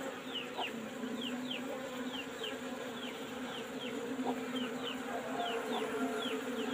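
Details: Old box hive of Asian honey bees opened for harvesting honey: an even, low buzzing hum holds steady, while brief high descending chirps recur at irregular short intervals above it.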